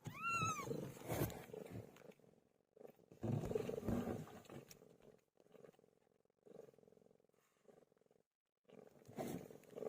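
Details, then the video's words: PILO, a pet cat, in labour: one clear arched mew opens the sequence, followed by long stretches of coarse, throaty purring and rumbling broken by short pauses. "My favorite cat "PILO" gave birth"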